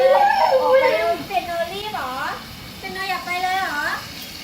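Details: Piano, a pet female Siberian Husky who began talking at six months old, indoors in a small room, giving wavering, yodel-like harmonic moans that rise and fall, loud at first and then softer with a few separate swooping phrases.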